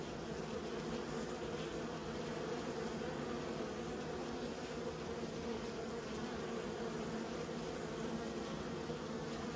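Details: Continuous buzzing of kept bees, a thick low-pitched drone holding constant loudness with no pauses or other sounds.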